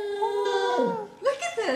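A Basset Hound gives a drawn-out, wavering howl that sags and drops in pitch.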